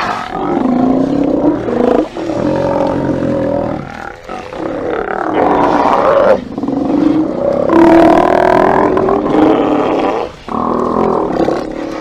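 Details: Steller sea lions at a haulout, recorded by a live cam on 24 September 2018, roaring in overlapping groans and bellows, some with wavering tonal bursts, nearly without a break.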